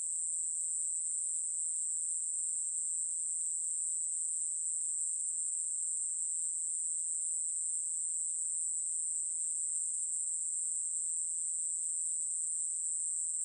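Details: Katydid from a 2020 National Institute of Biological Resources insect-sound collection, giving an unbroken, even, high-pitched buzzing trill that holds steady without pauses throughout, with no other sounds heard.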